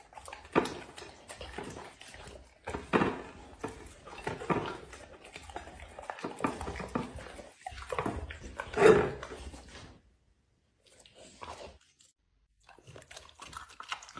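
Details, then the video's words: Dog eating food indoors, with steady crunching and wet chewing, a louder bite near the end, then near silence with a few faint final chews. "dog eating food"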